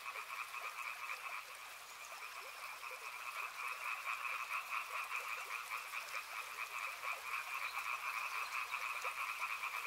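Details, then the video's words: Many frogs croak in a dense overlapping chorus by a river, rapid pulsed calls stacked in two steady pitch bands, rhythm swelling slightly louder toward the end, with soft rushing water underneath. "Frog Sounds | Soothing sounds of river and frogs"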